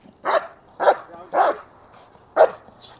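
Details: Obedient, protective German Shepherd giving four loud, punchy barks, three in quick succession and a fourth after a short pause.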